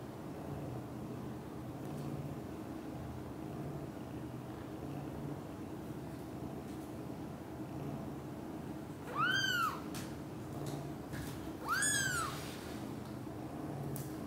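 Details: Cat family of British Shorthairs with cream kitten Cream tended by two mothers; a long stretch of steady low hum, then two sharp arched meows late on, a couple of seconds apart.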